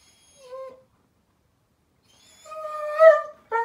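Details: Daisy, a German Shepherd puppy, cries because it is bedtime (15 May 2021). A brief soft whine, a pause of silence, then a longer, louder wavering whine and the start of another cry.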